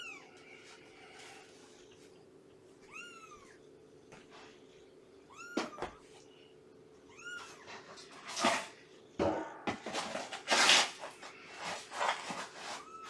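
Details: Shelby, a rescued mother cat estimated at two years old, shares a Purrfect Pals foster home with several kittens about three months old. Morning visit: clusters of bright, rising-falling mews come in short runs, broken by loud clattering and rustling.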